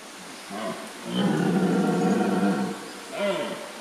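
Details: Stag red deer roaring in the dark early morning at Wildpark Gersfeld, Rhön. A short grunt precedes a sustained, deep, rasping roar of about one and a half seconds, then another brief grunt.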